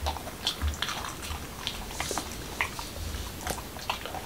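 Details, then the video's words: Crisp clicks and crunches as Momo, a Pembroke Welsh Corgi in Washington DC, bites through a taco of whole wheat shell, cucumber and ground beef indoors, with a faint low background hum. "Dog Eating Tacos"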